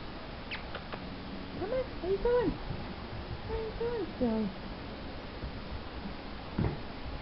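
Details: Male Wheaten Terrier puppy during obedience training gives short, high, arching whines in two bursts, each a few rising-then-falling squeaky notes with clear overtones, followed by a brief sharp yelp near the end over low indoor hum.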